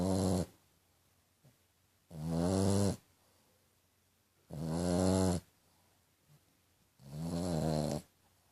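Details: French Bulldog named Tequila snoring, said to sound like a little pig: four low, buzzy, harmonic-rich snores, each under a second, recurring roughly every two and a half seconds with quiet breathing gaps between.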